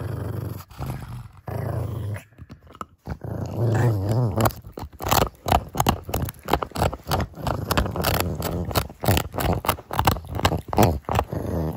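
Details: Growling pug Kongzi, a six-year-old female, defends an oversized bone treat indoors. Long, throaty growls roll steadily and then break into rapid, choppy snarls, mixed with chomping and biting noises.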